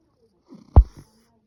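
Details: Russian Blue cat snoring, recorded April 8, 2025: a single short, deep snort with a soft rasp, surrounded by quiet.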